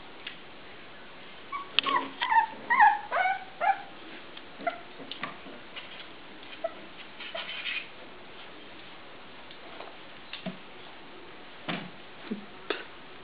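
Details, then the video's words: Puppies playing; a cluster of high whimpers, yips and small growls fills the second to fourth seconds, then scattered squeaks and yelps follow more sparsely through the rest, over a faint steady background hiss. "Les chiots jouent"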